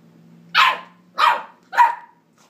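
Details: Three sharp, bright yaps from a 9-week-old West Highland White Terrier puppy, captured on an iPhone 4s, each bark short with a slightly falling tail, spaced about half a second apart over a low steady hum.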